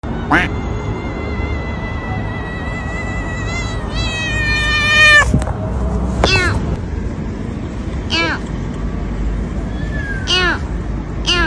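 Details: Domestic cat calling in a funny cat clip: a long drawn-out harmonic meow, steady then wavering and sliding down, followed by several short downward-curving meows spaced a couple of seconds apart, over constant low background noise and faint voices.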